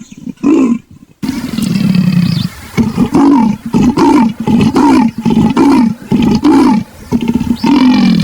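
A leopard gives a series of deep, rasping grunts, like a saw drawn back and forth.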